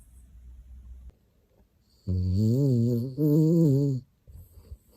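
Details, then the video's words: Loud snoring from a dog asleep: two back-to-back voiced, wavering low-pitched breaths of roughly a second each, with a faint hiss between breaths and quiet surroundings. "cute dog snoring loud when sleeping"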